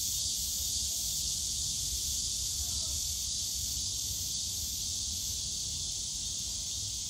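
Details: Summer cicada chorus from the bamboo forest at Yongsan Family Park: a steady, hiss-like high buzz that never breaks, with soft low background hum from the surrounding park.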